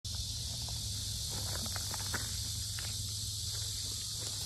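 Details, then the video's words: Cicadas shrilling very loudly at the Sinjeongho lotus park in Asan, Korea: a steady, unbroken high hiss that fills the background throughout, with soft footsteps and faint low outdoor rumble beneath. "매미소리 주의"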